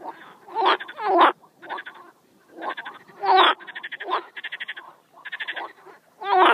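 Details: Frogs calling: loud rasping croaks in bursts of rapid pulses, some long buzzy trills and short stuttering series, repeated in clusters roughly every second with brief quiet gaps.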